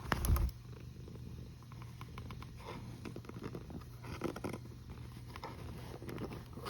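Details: Domestic cat snoring on 1 August 2021 at 13:27: a soft, low rumbling breath sound, steady and continuous, with a brief louder rustle at the start and a constant low electrical hum throughout.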